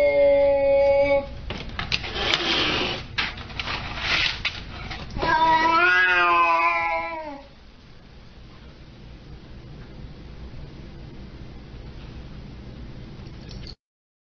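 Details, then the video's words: Siamese cat meowing indoors: a short harmonic yowl at the start, a noisy burst of knocking sounds, then a long wavering meow that slides downward, followed by quiet room noise. "FUNNIEST SIAMESE CATS EVER"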